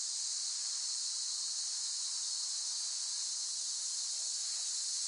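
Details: Cicada song: a continuous, high, hissing buzz that holds steady in pitch and loudness without pauses or pulses, with no other clear sounds.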